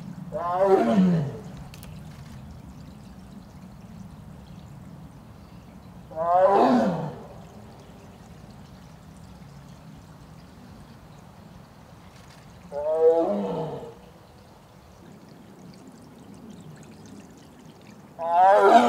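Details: Mugung, a female Korean tiger in heat, kept apart from her brother Beom in a separate enclosure, calling for him: four loud, drawn-out, downward-sliding moaning calls, one roughly every six seconds, over a low steady background hum.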